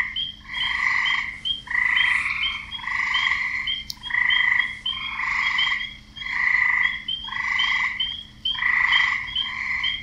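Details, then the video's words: Frogs calling to draw in mates: males croak in steady overlapping bursts roughly every second, each rasping call layered with bright high-pitched chirps, the chorus rising and falling with brief quiet gaps. "Frogs croaking and nature sounds"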